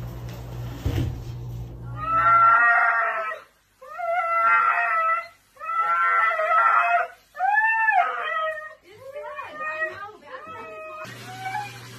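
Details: A dramatic dog gives a run of long, drawn-out howling whines, each tonal wail lasting about a second with short breaks, rising and bending in pitch, after a brief noisy thump at the start.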